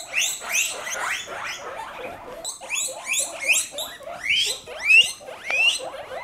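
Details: Several pet guinea pigs during floor time, wheeking loudly and excitedly: a rapid series of high, squealing whistles, each sweeping upward, repeated about every half second with brief pauses, overlapping one another.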